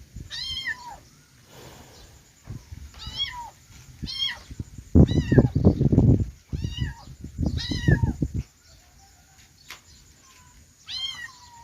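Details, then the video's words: Kittens meowing in a run of high, downward-curving mews, some in quick pairs, with bursts of loud low rustling between calls. "cute kitten sound|kittens meowing"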